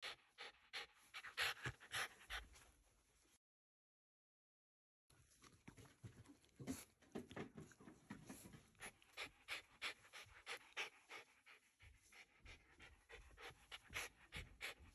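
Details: Shiba Inu Ranmaru at home after a family Buddhist memorial service, reluctantly seeing departing relatives off. Quick, breathy, hissing pants come in uneven bursts, roughly ninety a minute, broken by a brief stretch of silence midway.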